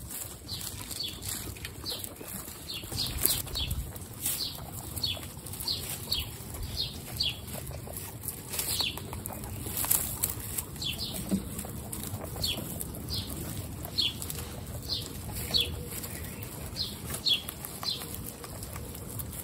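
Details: Baby guinea pigs Snow, Pistachio and Pumpkin meet the rest of a 29-strong group; bursts of thin, falling squeaks come in quick runs with pauses, above constant scratchy rustling and occasional clicks.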